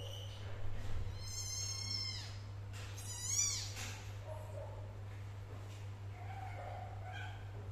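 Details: Domestic cat sounds from a mother cat caring for and protecting her kittens: two drawn-out, high, wavering meows, the second rising then falling, followed by quiet faint mews, over a steady low electrical hum.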